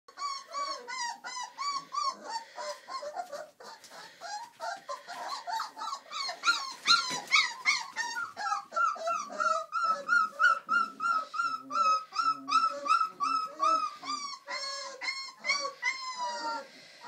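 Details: Four-week-old Old English Sheepdog puppies in a litter, giving dense overlapping high whines and squeals, many short rising-and-falling yelps in quick succession, with a long steady whine mid-clip and constant chorus throughout.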